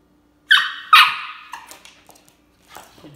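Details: Miska, a 13-week-old Siberian Husky puppy on its first day home with a new family, gives two quick high yelping barks close together, followed by softer trailing yips and faint shuffling indoors.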